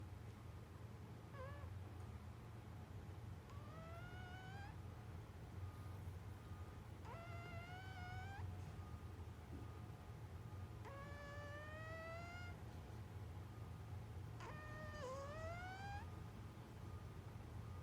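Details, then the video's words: A sleeping cat snores softly: a faint whistled note rising through each breath, repeated about every three and a half seconds, over a steady low hum. "snoring cat"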